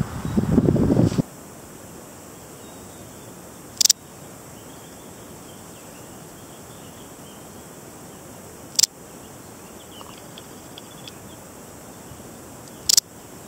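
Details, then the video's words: Balearic Saddle Bush-cricket, Parasteropleurus balearicus, singing: short, sharp, high rasping chirps spaced about four to five seconds apart over a quiet background, with a brief low rumble of handling or wind at the start. "Balearic Saddle Bush-cricket (Parasteropleurus balearicus) Sound/Geluid"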